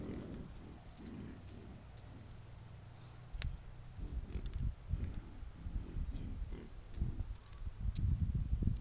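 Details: Wild boar herd with young piglets, caught by an Apeman H60 camera trap in Foreste Casentinesi National Park, Italy: low, rough grunts in irregular bursts over a steady background hiss, denser and louder after the third second.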